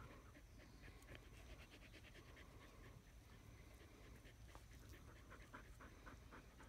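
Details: Australian Shepherds cooling off in shade under a willow tree; continuous light, rapid panting breaths at a steady pace, with wind noise low in the background.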